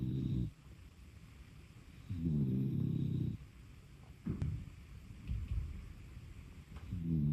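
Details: Shiba-Beagle mix pet dog asleep and snoring: low, rattling breaths in bursts of about a second, gaps between them, with a quieter wheezy rumble on the out-breaths and a faint steady background hiss.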